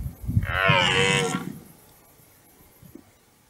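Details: A single brief, hoarse roar from a rutting red deer stag in a forest meadow lasts about a second and then fades into quiet background.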